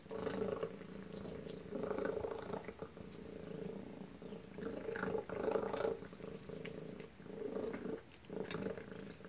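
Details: Indoor domestic cat Tacy purring through suppertime; rhythmic droning waves of purr, each lasting about a second or two, separated by brief quiet dips, with light chewing noises in the background.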